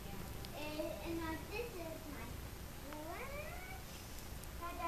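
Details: Three-week-old Himalayan kittens, the litter of a cat named Jasmine; thin, wavering kitten mews rise and fall in quick overlapping bursts over a low rumbling background, with a sweeping upward cry near the middle.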